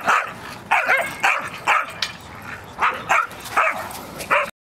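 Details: Dogs Cara and Tully playing at a dog park: a run of sharp, high yapping barks roughly every half second, each short and bright, with a brief pause near the middle.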